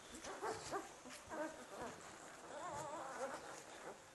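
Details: Landseer puppies, litter of the dam Icikarma's Quality and sire Isocrates Horae us Arsnouphis, giving thin, wavering, high whines and squeaks in short bursts, several overlapping, with a longer drawn-out whimper near the end and faint background noise.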